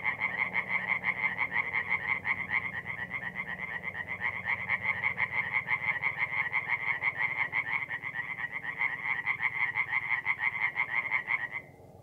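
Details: Night chorus of tree frogs at a forest pond in north-east Italy, mid April; dense rapid croaking pulses run for about eleven seconds, then stop abruptly, leaving a low background murmur.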